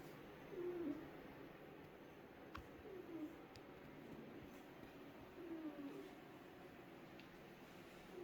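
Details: Sleeping cat snoring: soft, low wheezy whistles that slide downward, one with each breath about every two and a half seconds, in a quiet room with a couple of faint clicks.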